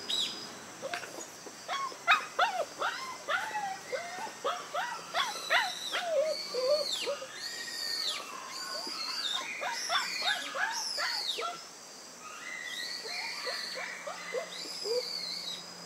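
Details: A litter of newborn White Schnauzer puppies, born September 3, squeal over one another in a busy run of high, wavering cries that fade to a few softer squeaks near the end.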